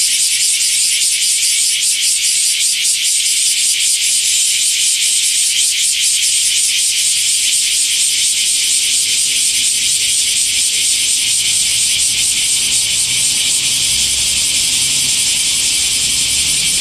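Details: A Japanese minmin cicada's song played at double speed, to test whether it sounds like a robust cicada (owner found it not very similar): a shrill, continuous, rapidly throbbing buzz.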